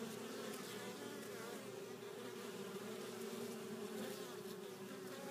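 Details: Honey bees returning to their hive carrying pollen, a steady dense buzzing of many bees with a constant hum band and fainter overtones, level throughout.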